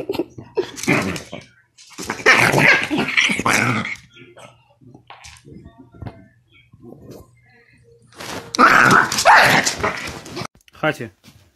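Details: Indoor angry dog: two loud spells of rough, broadband growling with snarl-like bursts, separated by quieter stretches with scattered sounds and some human speech.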